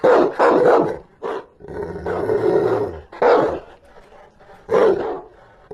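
A Rottweiler gives deep, forceful barks in short bursts, with a low growl between them.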